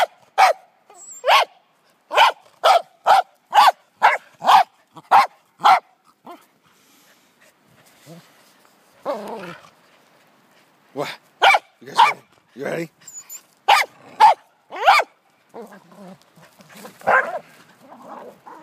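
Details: Pembroke Welsh Corgi named Wesley Von Toffee, excited while playing with a jolly ball horse toy he pushes like a soccer ball; a rapid run of sharp barks, a pause, then more bursts of barking with some snuffling between.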